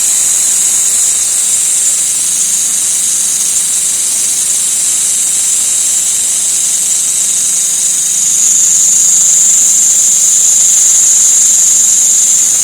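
An insect gives a steady, high-pitched hissing drone that grows louder toward the end.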